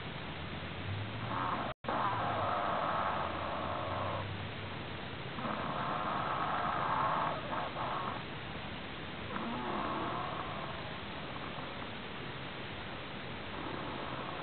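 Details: Strange snoring from a prairie dog: drawn-out raspy breaths of about two to three seconds each, with a low rumble under some of them, repeating at regular intervals against constant hiss.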